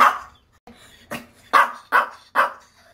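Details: An angry Maltese named Dubu, home after grooming and recent surgeries, gives a loud bark, a few softer clipped yips, then three strong barks about half a second apart, indoors.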